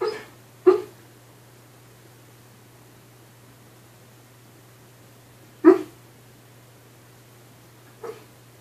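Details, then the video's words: Dreaming dog giving sparse sleep barks, recorded in 2015: a muffled woof near the start, another about five seconds later, and a faint short yip near the end, separated by long quiet stretches over a steady low hum. "Dream barking"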